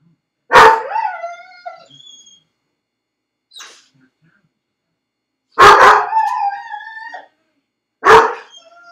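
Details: Dog left alone in a dog crate, barking, crying and howling: three loud barks, each trailing into a drawn-out whining cry. The first comes early, two more follow later, and a faint short sound falls in the quiet gap.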